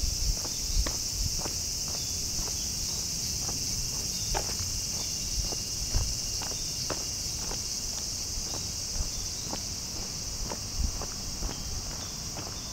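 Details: In hot midsummer, during the school holidays, bear cicadas keep up a continuous shrill metallic buzz, an unbroken high drone behind irregular crisp clicks and soft low rumbling.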